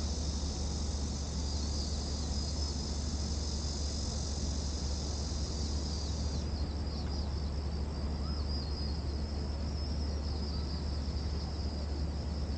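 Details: Cicadas at Gwanggyo Lake Park, Korea, 8 September 2021, VR360 recording: a loud steady high drone that shifts slightly lower and softer about halfway, then continues with faint pulsing, over constant low urban hum.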